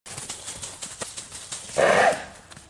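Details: Bay Arabian filly, three years old and born at the stud, snoring: a single rough, breathy snort lasting about a third of a second near the end, after soft rhythmic knocks and rustling.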